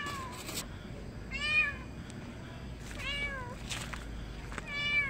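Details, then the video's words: Neutered street cat returned after TNR meows repeatedly, three wavering, bending harmonic cries spaced about one and a half seconds apart, with a short clicking noise at the start. "중성화(TNR)하고 돌아온 길고양이 반응은?"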